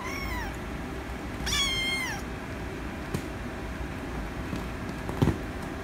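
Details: Rescue kitten asking for attention with a short meow, then a longer, louder meow that bends downward, followed by quiet with faint clicks over a constant low background rumble.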